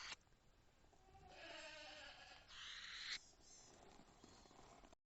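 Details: Weasel giving a harsh warning call: a faint, noisy squeal with stacked tones for about a second, then a brighter hissing burst, over a low background hum.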